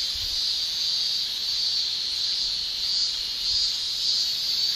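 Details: Summer chorus of cicadas in Japan, an unbroken high shrill buzz with gentle pulsing surges in loudness every second or so, very even throughout, over near-silent low ground noise.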